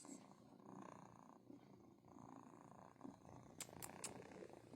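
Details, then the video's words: Two kittens with strong, loud purrs: a steady rough, pulsing rumble throughout, with a woman's soft voice and a few sharp clicks near the end. "Best purrs EVER"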